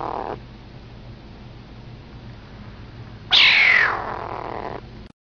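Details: Kitten giving funny noises: a rasping call fading out at the start, then after a pause a loud, harsh call that opens high, sweeps downward and trails off in a buzzy tail of about one and a half seconds.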